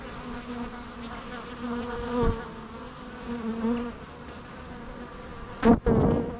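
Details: Buzzing bees with clear wavering wingbeat tones that swell and fade, one bee droning loudly close by near the end amid a couple of sharp clicks, over a constant humming background.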